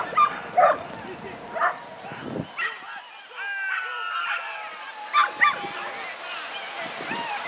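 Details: Male whippets in the national-class final of the 62nd International Greyhound Derby give high, rising yips and drawn-out whining cries, several in quick bursts, over a steady murmur of crowd noise.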